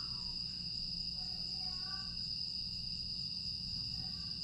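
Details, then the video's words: Night grass insects at Aewol on Jeju Island, late August 2022, give a constant thin high-pitched ringing chorus, while brief soft warbling notes flicker in lower pitch against a low hum. "풀벌레 소리"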